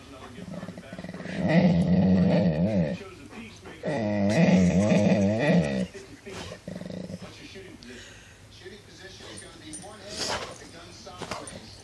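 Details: Pet dog indoors, likely in a small room, making odd drawn-out vocal noises: two long wavering, moaning groans with rising and falling pitch, around two seconds each, followed by quieter grumbles and a brief human voice.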